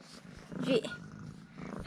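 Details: Affectionate house cat, fed two ham sausages and being coaxed to roll over, gives a short, low, even purr while a person's voice breaks in briefly midway.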